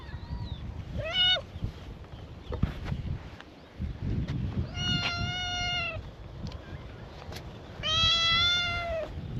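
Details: Free-roaming stray cats at a cat gathering on a cat island with TNR volunteers, greeting a visitor in a chorus; three clear, drawn-out meows at about 1, 5 and 8 seconds over low rumbling outdoor background noise.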